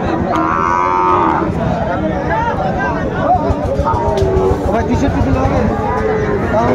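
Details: Sahiwal bull calves at a busy cattle market in Dhaka, Bangladesh, recorded in February: a long harmonic moo with drawn-out bellows over constant crowd chatter and bargaining voices.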